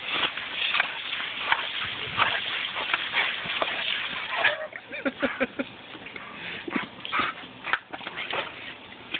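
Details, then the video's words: Kaiser, a German Shepherd, playfully biting at the spray from a garden hose. Dense rushing water noise with rapid jaw snaps and brief whiny yelps scattered through, quieter and choppier in the second half. "My German Shepherd Kaiser attacks gardenhose"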